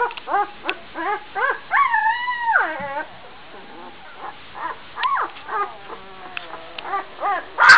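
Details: A twelve-day-old Gordon Setter puppy, up and running about among sleeping littermates, gives quick squeaky yips. A drawn-out wavering whine follows, then softer, evenly spaced yips.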